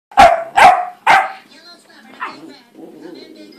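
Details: German Shorthaired Pointer x Boxer puppy, male, in a playful yet fussy mood, barking on command: three sharp high barks about half a second apart, then quieter whining sounds and a television voice in the background.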